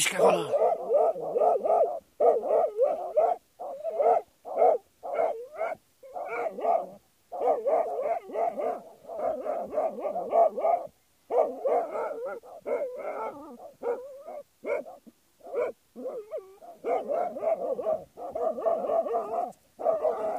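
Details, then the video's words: Jagdterrier hunting badgers, barking in dense, rapid volleys of mid-pitched yaps with short pauses, almost continuous over the whole stretch. "Jagdterrier vs bursuci"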